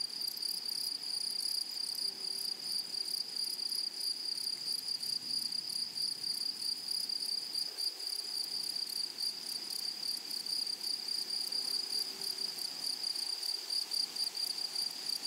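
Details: Flowery meadow chorus of grasshoppers, a sustained high ringing tone beneath quick, regular buzzy pulses ticking several times per second across fifteen seconds, with soft low rumbles and a faint hum now and then.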